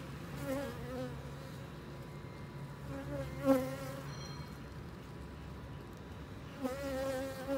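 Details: Western honey bees buzz steadily around a hive being treated with rhubarb leaves against varroa mites; individual bees drone louder as they fly close past.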